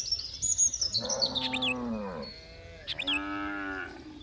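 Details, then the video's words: Cows mooing: two long, harmonic lowing calls, the first sliding downward over about a second, the second steadier, with high chirping birds in the background. "Suara dan SAPI-SAPI yang lucu || funny sound of cows and cows"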